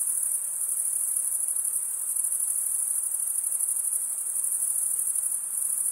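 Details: Many crickets stridulate together, a sustained shrill, rapidly pulsing trill at a constant loudness. The males produce it by running one wing across the toothed underside of the other.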